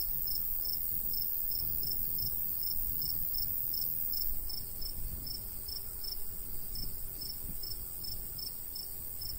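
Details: Crickets in a summer wheat field in the countryside, giving sharp high chirps in a regular pulsing series with one brief gap, over quiet low breeze noise.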